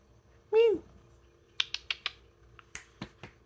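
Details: Domestic cat begging for more food indoors: a single short, clear meow that slides downward in pitch, followed by a run of sharp dry clicks and taps in a small quiet room.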